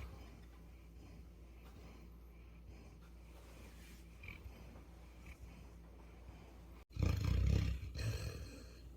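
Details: Putu, a Labrador Retriever from Jeju Island born 8 November 2020, snoring while asleep: several seconds of quiet low breathing, then one loud, rough, rumbling low snore lasting about a second near the end.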